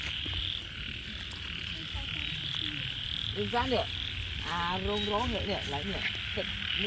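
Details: Frogs calling in April rain during a night search for frogs: a cluster of short, throaty, rising-and-falling croaks bunched in the middle, set against a steady high-pitched drone and low rumbling background.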